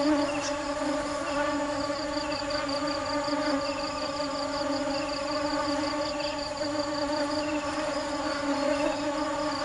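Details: Hardworking bees seeking nectar produce an unbroken, even drone rich in overtones. A quick, regular high-pitched pulsing and occasional soft bird chirps accompany it throughout.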